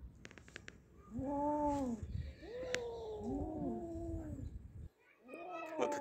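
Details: Two house cats that caught a big mouse trade arching, moaning yowls, each rising then falling, with growly undertones and short pauses between calls. Music sounds faintly behind them.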